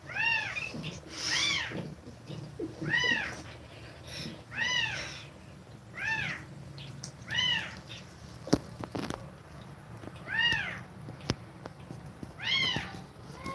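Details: Domestic cat nursing kittens and feeding them milk, breathing fast; a series of high, arched, harmonic mews, rising then falling, repeated roughly every one and a half to two seconds, about eight in all, over a low indoor hum.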